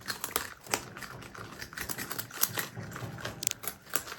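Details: Pet marmot brothers, Himalayan and Alpine marmots living together, chewing food: a dry, crunchy run of irregular clicks and crackles close up.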